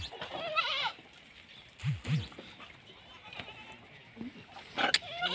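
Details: Male Kota goat at a goat farm in Rajasthan, giving a quavering, wavering bleat in the first second, followed by low dull thumps and scattered farmyard noises.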